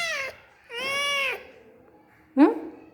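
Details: Pet cat Rowdy Rakkamma, indoors after leaving her box during a power cut, gives two drawn-out, steady meows close together, followed by a brief rising human voice.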